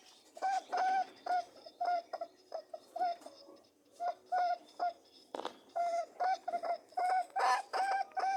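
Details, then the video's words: Humming, honking calls from mating rabbits come as brief nasal tones, often doubled, in an irregular run of about two per second, with a short louder scuffle partway through, indoors. "Buzzing/ humming and grunting/ honking sounds of mating rabbits"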